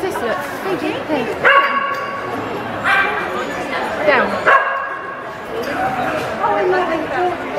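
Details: Harry, a Labrador cross Patterdale Terrier, performs his cup-stacking trick before an audience at the Paws in the Park dog show in Kent, UK; three sharp, harmonic barks ring out about every one and a half seconds over crowd chatter and talk.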